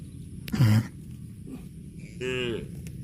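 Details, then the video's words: Cow mooing while out eating grass; two short low moos with rich stacked harmonics, the first loud and brief, the second longer and slightly rising, over a low rumbling background. "CUTE AND FUNNY COW SOUND EATING GRASS COMPILATION - COW MOOING"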